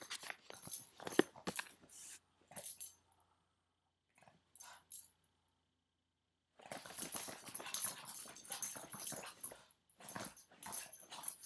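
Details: A nine-year-old Boston Terrier playing and refusing to let go of a foot makes scrappy snorts and rough grunting bursts, with a quiet pause partway through.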